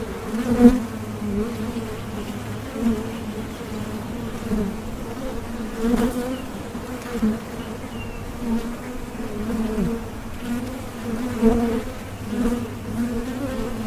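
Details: Bees buzzing as a relaxing ambience, a steady layered drone with a low hum and higher overtone band, swelling and fading with occasional soft clicks and knocks.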